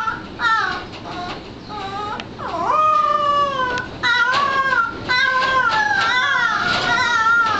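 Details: A bloodhound puppy learning to bay in 2009 gives wavering, drawn-out howls that slide up and down in pitch.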